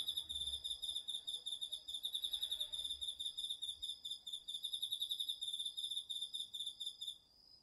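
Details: Autumn night chorus from a garden field, crickets among other insects, captured on a DR-40X: a steady run of fast, bright pulsed chirps repeating for about seven seconds, ending with a thin sustained high tone.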